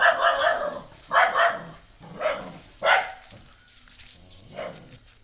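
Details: Female pet dog, not yet accepting a stray puppy brought home, barks repeatedly: four loud harsh barks about a second apart, then softer yips trailing off.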